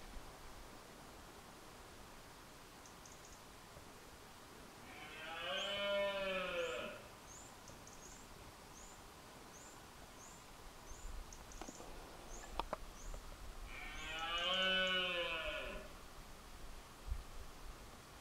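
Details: A red deer stag in rut roars at dawn in Scotland with two deep, drawn-out roars, with high chirps of the dawn bird chorus behind.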